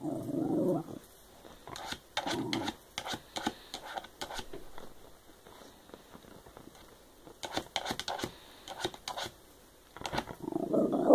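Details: Shiba Inu dog 'talking' indoors: short, throaty grumbles at the start, near two seconds and at the end, with scattered clicks and taps between them in a quiet room.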